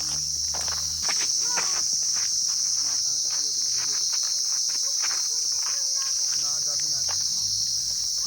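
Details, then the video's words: Cricket-like insects fill the quiet downhill pine forest at Sittong, Darjeeling, at the end of October. A constant, high, steady trill comes from all around, with footsteps and brief voices in the foreground. "চারিদিকে খালি আওয়াজটা দেখো, পুরো মানে সেই একটা পোকার আওয়াজ, ঝিঝি পোকার মতো আওয়াজ।"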